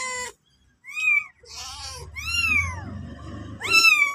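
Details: Mother cat and kitten indoors: sharp, high arching meows in quick bursts, with a low purring rumble running beneath the middle calls.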